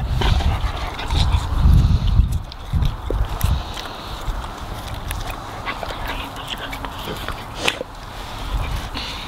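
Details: Labrador Retrievers munching and gobbling a juicy watermelon, a close ASMR-style recording of wet crunching: dense irregular clicks and soft low thumps of chewing, louder in the first few seconds.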